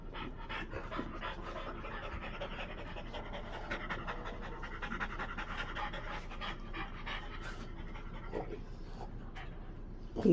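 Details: Dogs at play: Freya, a Blue Thai Ridgeback, romping with her French Bulldog friends. Steady, rapid breathy panting runs throughout in quick rhythmic pulses, with a sharper noise at the very end.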